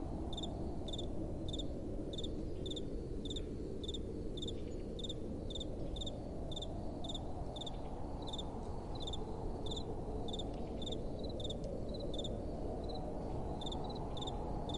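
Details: Night-time cricket chorus: regular high chirps repeat roughly twice a second without pause, with a gentle, steady wind roaring low underneath.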